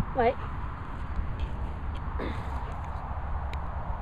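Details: German Shepherd Laiken barking on the command "speak" at a dog training kennel in the Worcestershire countryside: one short, loud harmonic bark, then a fainter second bark about two seconds later, over steady low wind rumble.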